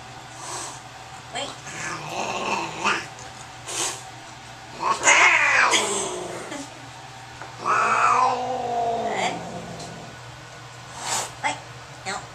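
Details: Angry cat during a vet visit, examination room: loud drawn-out yowls with arching, wavering pitch, separated by short pauses, mixed with a few human voices and background music.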